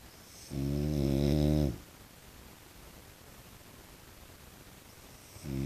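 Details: Low, buzzing snore-like snort from a pet French Bulldog in everyday life, held for over a second. Quiet follows, then a second rasping snort begins at the very end.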